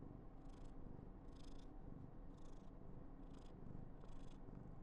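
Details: Affectionate purring from a female Somali cat at home, a constant deep rumble punctuated by airy breath bursts roughly every second.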